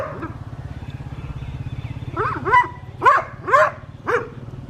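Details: West Highland White Terrier named Adriano, a pet in a village garden at Hoat Wala, South Punjab, Pakistan, on a winter morning. Four short, sharp barks come in quick succession after a quiet start, over a steady low motor rumble.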